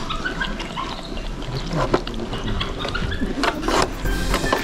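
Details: Two young capybara sisters, born September 2019, chewing at their zoo dinner around 4 pm, when they become active, with moist crunching and grinding sounds repeating irregularly at close range.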